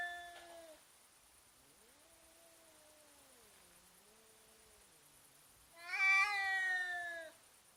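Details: Cats intimidating each other in a fight: a short yowl, then a low, quiet wavering moan, followed by a loud, strained, harmonic-rich howl that holds for over a second before fading.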